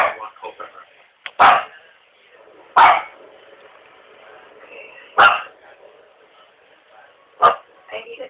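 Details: A domestic dog barks in a house: four sharp, loud single barks spaced about two seconds apart, with people talking between them.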